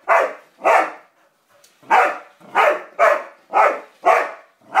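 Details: ['Roxy, a dog apparently disliking a yellow toy car, lets out eight loud, rough barks with an uneven rhythm and a brief pause after the first pair.']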